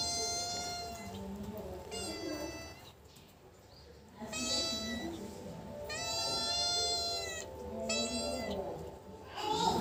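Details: Tabby and black domestic cats that dislike each other face off: long, high, wavering yowls with stacked harmonics, drawn out one to two seconds each and repeated in overlapping bouts, with faint background music.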